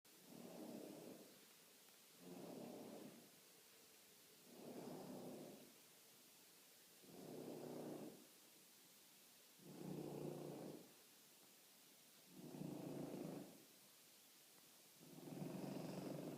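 A French Bulldog snores gently, with soft rasping breaths about every two and a half seconds.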